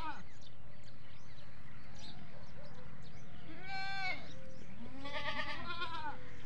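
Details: Goats on a goat farm bleat in wavering, nasal calls over a steady low hum; they call from early morning to evening, mostly for feeding, one starting the rest.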